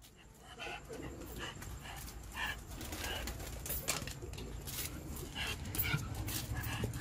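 A Shiba Inu barks in quick, high yipping bursts, spaced unevenly over a steady low hum. These insistent barks are a demand for food.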